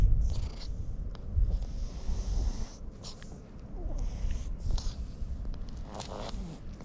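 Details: Domestic cat being petted and snorting heavily with pleasure: low, continuous rumbling purr with soft breathy snorts, brief faint higher tones, handling rustle throughout.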